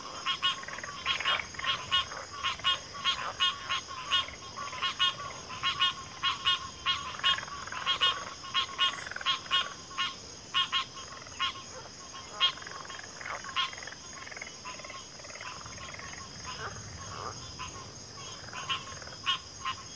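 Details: Dense frog chorus with many overlapping short, clicking and rattling croaks coming in rapid irregular bursts, busiest in the first half, with a constant high background hiss.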